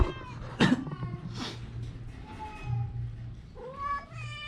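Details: Ginger cat suffering from a cough and cold: two sharp noisy bursts early on, then short, thin meows partway through and at the end, set against a steady low hum.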